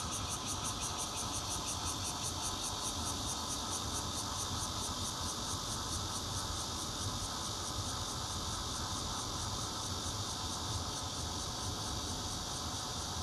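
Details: Bear cicada singing in Zhongli, Taiwan, 16 June 2013, captured from a fourth-floor home with a Nokia Lumia 820; a dense, shrill drone throbs quickly and evenly for the whole stretch, backed by low traffic-like rumble.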